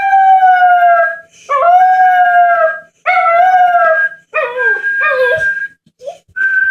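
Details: A Jack Russell Terrier puppy howls to a person whistling, with high, drawn-out howls that waver and break while the whistling continues.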